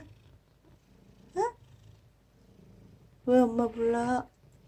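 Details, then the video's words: Former feral cat named Aegi, rescued as a weak kitten from a litter of four in summer 2018, now calling its rescuer "mom": a quiet low background, one short upward chirp, then a long, steady, even-pitched meow. "내귀에 "엄마" 라고 말하는 냥이"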